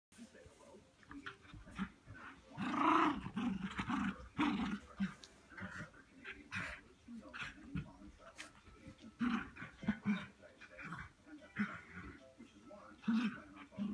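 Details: Cairn Terriers Whiskey and Charlie, a puppy and an adult dog, playing together indoors; low rough growls and short yaps come in bursts through the clip over a quiet room background.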